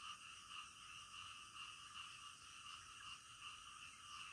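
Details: Frogs calling at night in a dense chorus. Distinct louder croaks stand out roughly twice a second above a continuous buzzing layer of many more frogs.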